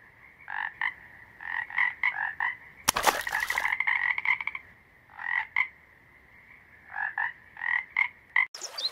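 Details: Male toad croaking to hold territory and draw in females during the breeding season: paired buzzy croaks in clusters, interrupted midway by a sharp crackling burst and ending with a noisy click.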